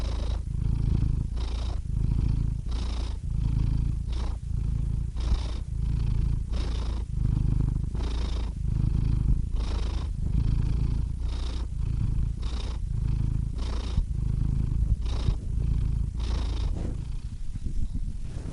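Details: Continuous purring of a domestic cat, low rumbling pulses switching between in and out breaths roughly every half second to second, quick airy breath noises marking each change, even loudness throughout.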